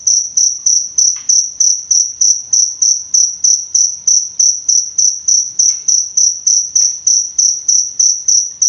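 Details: Jangkrik, an Indonesian cricket, chirps to tutor and soothe songbirds: piercing, evenly spaced high pulses, roughly three per second, continuing without pause over a quiet backdrop with a few soft clicks.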